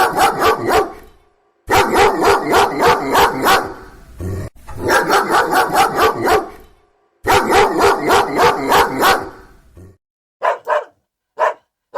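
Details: Dogs barking during play while searching and rummaging: dense runs of rapid, rough barks, about eight to ten per burst, in three long bouts separated by short pauses, ending with a few isolated quick barks.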